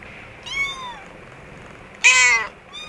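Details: Kittens with their mother cat indoors in an office store room; a clear descending mew, then a louder, harsher, wavering cry, then the start of another high mew, all against a quiet background.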